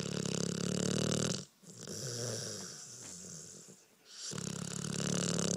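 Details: Dreaming one-year-old Pit Bull Carmen gives long, harsh snores. A loud rasping breath is followed by a quieter, wheezy stretch, then another loud snore. It was captured indoors on a phone.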